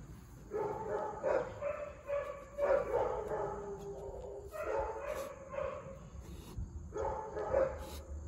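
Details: Huge black Great Dane recorded 10/08/2022, giving a series of deep, tonal, drawn-out barks in clustered bursts with short pauses between them over a low background hum.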